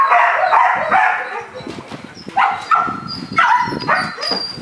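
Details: Young Belgian Malinois, a four-month-old puppy, gives repeated short barks in uneven bursts roughly every second, with quieter low sounds between them.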